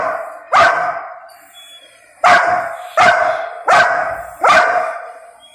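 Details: An angry little Golden Retriever, a male, demands food he is not yet allowed to eat. Five loud, sharp barks come at uneven intervals, roughly one every second, each fading quickly.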